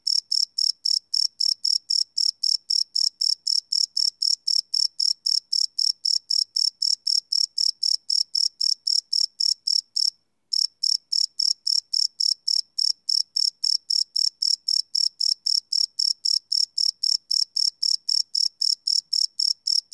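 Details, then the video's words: Crickets chirping through the night, a live Sony PCM D100 field recording: a long unbroken series of piercing, rapid pulses, nearly four a second, briefly cut by a half-second silence midway. "Cricket Chirp Sound - Cricket Sounds at Night"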